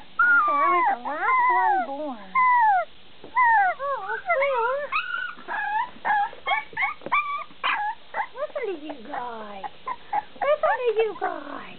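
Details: Bulldog puppies giving a busy run of high, whining whimpers and yelps, many short rising and falling tonal cries overlapping one another, sometimes several per second, with brief pauses between bursts.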